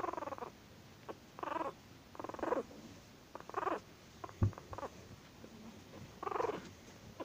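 An angry Chihuahua gives short bursts of rough, rattling growls, pausing between each.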